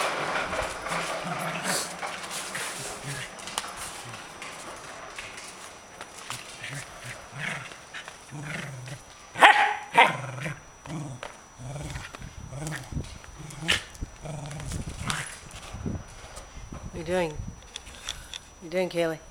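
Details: Pet Corgi dog at play with a frisbee and ball, giving a run of short barks and yips, roughly two per second, while a woman repeatedly urges it to get its ball.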